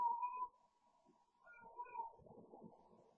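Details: Cooper, a pet cat playing late at night at bedtime, gives a sustained steady mid-pitched yowl, then a second wavering yowl trailing into rough, muffled rustling sounds.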